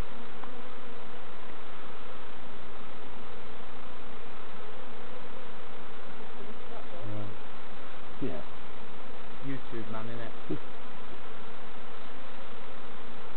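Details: Continuous low hum from honey bees as their hives are inspected by novices at Summerwood Lane Allotments and Community Garden; brief voices and clatter of hive parts break in near the middle.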